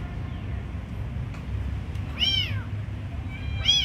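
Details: Kitten being given food, crying two high, arching meows late in the clip, the second rising sharply; a steady low rumble runs underneath throughout.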